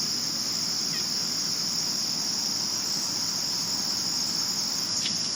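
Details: Crickets at night, recorded in 2022 (only males chirp): a steady, unbroken high-pitched trill holds throughout with even loudness, over faint low rumble and a couple of soft brief ticks.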